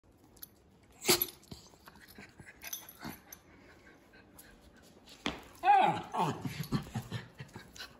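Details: A miniature schnauzer, one of a silver and a salt-and-pepper pair, snorts out several short, explosive sneezes a couple of seconds apart. A run of high, wobbling, nasal whines and squeaks follows, with a brief human exclamation nearby.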